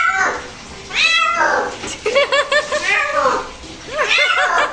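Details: Bathing a domestic cat draws a burst of protest: drawn-out meows followed by a rapid stuttering series of short, chirpy cries, ending in another quick cluster, indoors in a small room.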